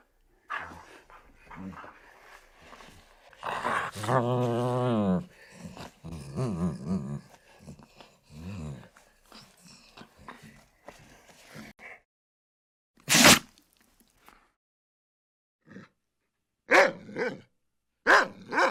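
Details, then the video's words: Domestic dog indoors in a small room, making rough growling and grumbling vocalisations with a few moaning notes, then a scattering of short sharp bursts separated by quiet gaps; a person's voice occasionally in the background. "Dog Sound Effects"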